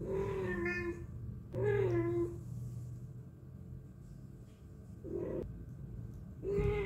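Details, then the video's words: Indoors, a cat that always meows when people are around utters four meows, two close together at the start and two more after a pause, over a low steady hum. "Cat voice | Cat sound | Suara kucing | Kucing yang senang mengeong meow meow."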